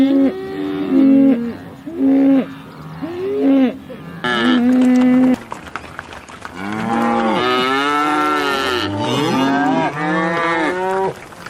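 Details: Cows in a field moo in a series of short, tonal calls, then several animals give longer, overlapping bellows.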